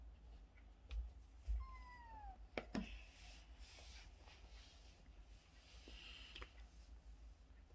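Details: Bolt, a stray cat who stayed with the family for a year and five months, in its last recording: one faint meow that rises then falls, with quiet background hiss and a few soft knocks.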